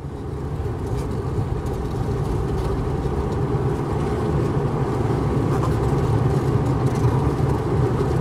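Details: Honey bees inside a beehive split in half with a wooden spacer: a dense, steady low hum of many wings, a continuous buzzing drone that swells slightly over time, with no other sounds.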